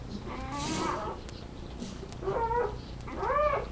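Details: Labrador retriever puppies, watched on a live puppy cam, give high, wavering whines, each cry arching up and then sliding down.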